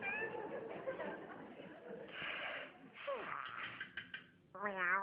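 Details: A domestic cat gives a short, rising then falling meow near the end, after several seconds of human speech and background chatter.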